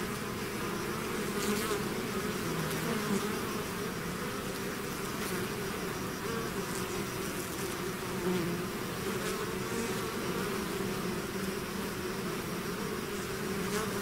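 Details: Steady drone of a bee swarm emerging from the hive: many overlapping wingbeats blend into an unbroken low hum, occasional faint clicks and passing bees adding small flickers throughout.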